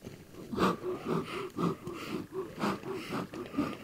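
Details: Black rhinoceros (Diceros bicornis) making aggressive sounds: rhythmic breathy puffs and snorts, roughly one per second, each a short broadband burst with a low grunting core.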